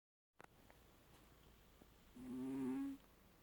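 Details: Snoring cat: after a few faint clicks, a single nasal, whistling snore of under a second, steady in pitch with a buzzy overtone, in an otherwise quiet room.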